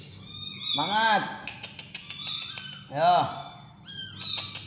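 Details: Little kitten being fed by hand meows twice, each cry a full rising-then-falling wail, between them soft clicks, chewing-like ticks and quiet speech indoors.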